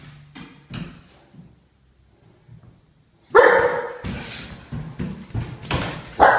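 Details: Great Dane barking: a few soft knocks and low sounds at first, then a sudden run of loud, deep, harsh barks in quick succession through the second half.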